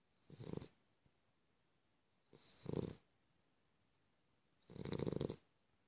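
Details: Sleeping Cavalier King Charles Spaniel snores in three loud, rough, rasping bursts. Each lasts under a second and they come about every two seconds, with quiet pauses between them.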